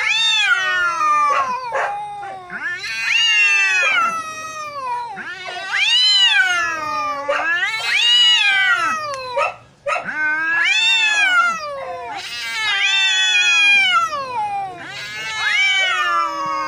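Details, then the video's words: Two neighbour cats fighting intensely: long wavering yowls rising and falling in pitch, rich in harmonics, traded back and forth in drawn-out waves every few seconds with brief pauses between. "Cats fighting hard | Fight between two neighbor cats"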